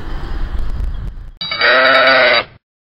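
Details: On Lesbos island, a sheep's tremulous, harmonic-rich bleat of about one second follows a stretch of low rumbling noise, then ends abruptly in silence.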